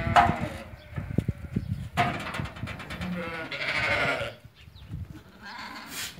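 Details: Ewes that have lambed, among 80 for sale at market in Fquih Ben Salah, with one drawn-out wavering bleat in the middle, surrounded by clattering, knocking and low background noise.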